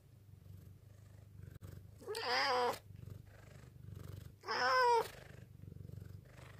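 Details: Black rescue cat named Ten, saved in a mountain village in 2013, calls out to appeal with a low yet cute voice: two long meows, the second rising and bending, against a quiet indoor background with faint low hum.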